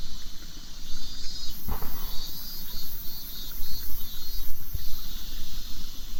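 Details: Cicadas singing in Japan in summer make a high, wavering buzz that rises and falls in intensity. Two sharp clicks or knocks cut in briefly, and a low rumble continues throughout.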